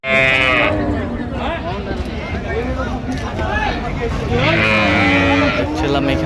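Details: Cattle lowing at Ambari market, Dinajpur, Bangladesh, where cows and calves are traded, 16 January 2026. Repeated wavering, bending moos come from several animals, with two brighter, higher bursts and constant crowd hubbub.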